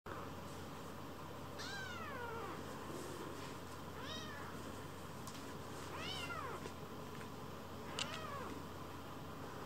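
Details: Rescued kitten Leo, anxious at first, settling on a lap and rolling belly-up to seek affection indoors; four clear rising-falling meows about every two seconds over a steady low hum.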